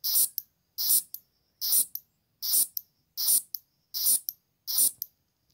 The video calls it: Green Grasshopper Sound